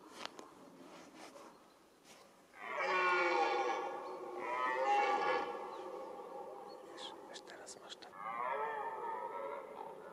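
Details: Red deer roaring in the mating-season rut: three drawn-out, hoarse, harmonic bellows, the first two almost joined, the last starting after a short pause. Faint clicks and rustles come between the calls.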